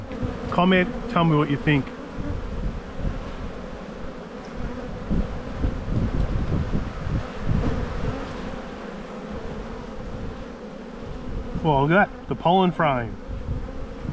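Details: Honey bees in a bee yard during spring buildup, a black hive full of brood being inspected on 7-9-22; a steady low droning hum fills the clip, with a man's voice briefly near the start and again near the end.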